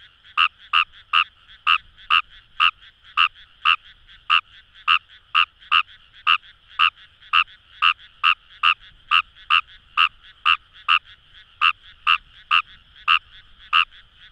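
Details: Fejervarya kawamurai calling in the Kamo River paddy fields of Itoshima, Fukuoka Prefecture, Japan: a long series of about thirty sharp croaks, two or so per second in loose rhythm, against a constant faint chorus of distant frogs.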